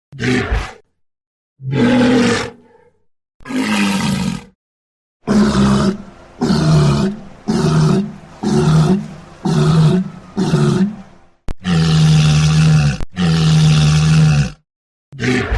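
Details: Walrus giving a series of about a dozen harsh, deep roars, each roughly one second long with a rich harmonic buzz, broken by abrupt clean silences between calls.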